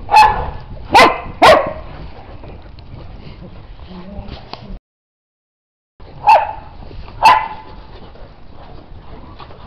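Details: Dog in snow barks sharply: three quick barks in the first two seconds, a short gap, then two more spaced barks, over low outdoor rumble.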